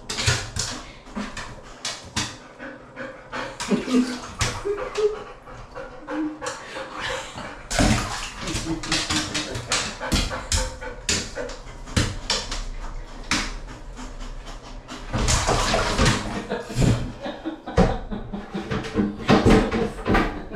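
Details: Lulu, a pet Golden Retriever, sits in a cold bath during sweltering heat; rapid breathy panting runs throughout, mixed with loud water splashes, short whines and intermittent human speech.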